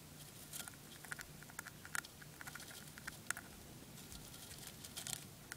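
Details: Dwarf hamster chewing on spray millet, with rapid tiny crackles and several louder crisp crunches spaced irregularly, set against a quiet indoor background hum.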